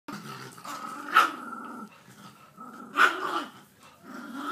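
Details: Pit bull and Jack Russell fighting: a low, rumbling growl broken by two sharp snarling bursts about two seconds apart, with a continuous rough throaty undertone between them.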